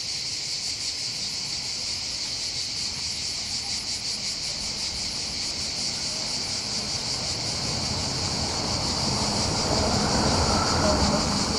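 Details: Cicadas chorus above the port of Bandol in the Var, on the Côte d'Azur in southern France, during summer holidays by the Mediterranean: a dense, steady high buzzing with fast pulsing, over wave and wind noise that grows louder toward the end.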